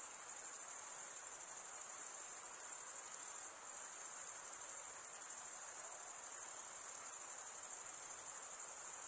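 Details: A sustained, high-pitched pulsing trill from a chorus of chirping crickets, with a brief soft dip around the middle before the steady sound resumes. No other noises are present.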